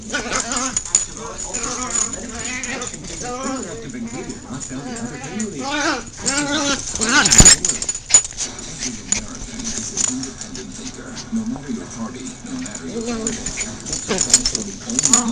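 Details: Min-Pin dogs and a Jack Russell Terrier romp madly, uttering a busy run of wavering, whiny yips and growly moans, with a loud sharp burst around seven seconds and background hiss.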